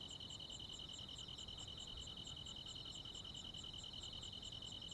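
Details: ['Crickets and other insects calling in the countryside on a summer night; a dense ringing trill runs throughout while crisp higher chirps pulse about twice per second, with a soft low background.']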